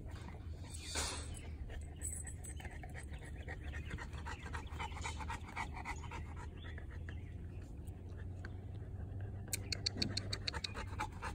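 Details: Monsterpiece Strawberry, a three-year-old female North American Mastiff and foundation dog of her breed, recorded April 2019, pants in quick rhythmic breaths over a steady low hum, with faint voices in the background.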